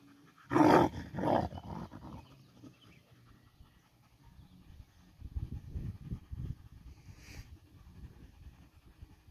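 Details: Three dogs, a Lab, a husky-shepherd mix and a dachshund, in a rough tussle at home: two loud, harsh growling barks close together near the start, then a lull and a stretch of low, rumbling growls and scuffling.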